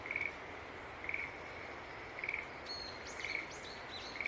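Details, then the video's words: Green tree frog calling in short, pulsed high notes about once a second against a steady hiss; a few brief upswept chirps from another creature break in over the second half. "Sounds of Green Tree Frog Call"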